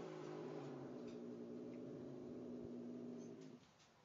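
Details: An angry cat confronting a nice cat holds a long, steady, low growl with a droning tone, unbroken for over three seconds before dropping away.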